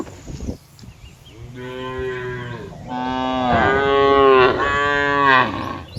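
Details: Cows in a chorus in a wide green field, grazing and relaxing. One cow gives several long, droning moos, each rich and nasal with a slight rise and fall.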